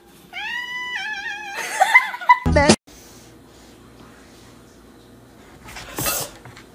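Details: Pet cat giving a long, steady meow that breaks into a wavering, warbling tail, followed by a short harsh burst; a person then asks if it is hungry, with quiet background music and a later sharp noise.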